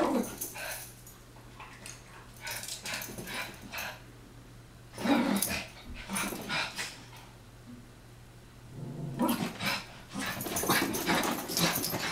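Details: Chihuahua brothers Taco and Santi wrestling and chasing in their favourite game; scattered clusters of gruff growls and yips come in bursts, with quieter stretches between and a loud flurry near the end.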